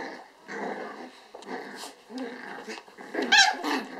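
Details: Four eight-week-old apricot dwarf poodle puppies, one female and three males, playing with their mother indoors in Finland; low rough growls and grumbles in short bursts, rising to a sharp high yelp near the end.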